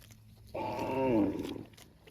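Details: Cow calling its extended family with one rich, sustained moo lasting about a second, starting abruptly, holding a steady harmonic tone that sinks slightly at the end, over a low humming background.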